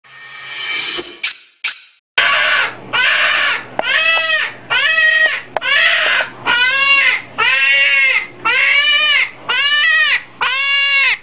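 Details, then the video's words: Hedgehog screaming: after a burst of rough noise and clicks, about eight loud, harmonic, nasal cries follow, each lasting about a second with short gaps between, steady in pitch with a slight waver. "صوت القنفذ"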